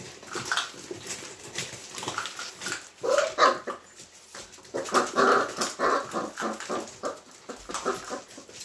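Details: Hungarian Vizsla puppies recorded on 13 March 2021 while practising problem solving; short tonal whimpers and yelps rise in two bursts, mixed with scrabbling, clicking and rustling noises.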